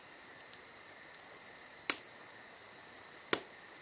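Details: Crickets on a summer night give a steady, high chirping drone with faint rapid pulsing on top. A crackling campfire adds two sharp, loud pops.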